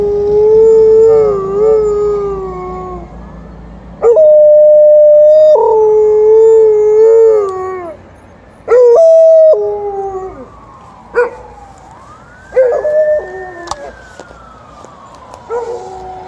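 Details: Morning howling by a female Alaskan Malamute answering an unseen ambulance: sustained, slightly wavering howls broken by brief pauses, then quieter sliding notes while a long rising-and-falling siren-like tone sounds in the background.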